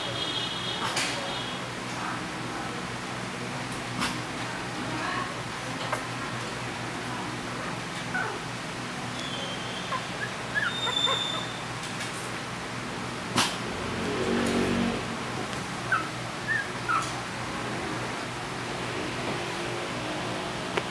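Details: Maltese–Shih Tzu puppies in the Philippines, learning to walk for the first time, give faint, thin, high squeaks and whimpers scattered through the recording over a steady low hum, with occasional knocks and handling noises.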